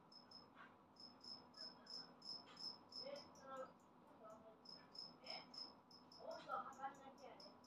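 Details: Freshly moulted adult two-spotted cricket chirping loudly in bursts of sharp, high pulses, several quick chirps per second with brief pauses around the middle; softer mid-pitched rustling and murmured voices sit in the background.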